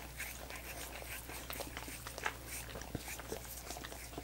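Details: Dogs licking coconut water popsicles: sticky smacks and clicks with a few stronger slurps and one deep thump, set against a quiet steady hum.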